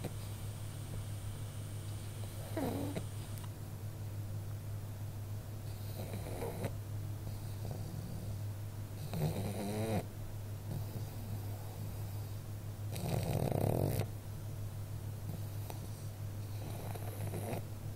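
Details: Female pug asleep indoors, snoring in rough, rattling snorts roughly every three to four seconds. The loudest is near the middle, and a steady low electrical hum runs underneath throughout.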